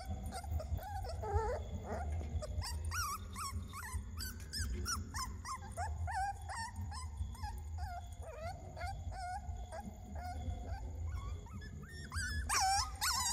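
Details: Puppies crying in bursts of high, wavering whimpers and short yips, the cries crowding closely in the middle and turning sharper and louder at the end, with a constant low rumble and a thin steady tone underneath.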